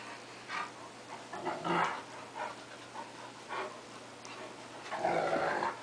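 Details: Two pet dogs play-fighting, a cocker spaniel against a larger wolf-Akita mix; scattered gruff growls and panting bursts, a harsher snarl near the end, and a person urging one dog on.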